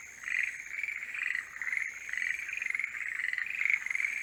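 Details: During the breeding season, forest green tree frogs call together in rapid, rattling trills that overlap without pause.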